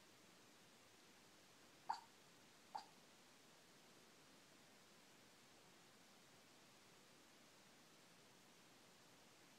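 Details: A sleeping female Shih Tzu gives two soft, brief yips, like little hiccups, while dreaming, in otherwise quiet room hush.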